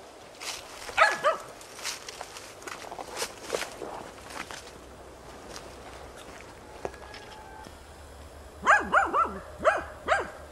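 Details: Tina, a hunting dog, bays at young wild boar in training on 6 March 2013: scattered barks early, a quiet stretch with faint rustling, then a quick burst of four or five barks near the end.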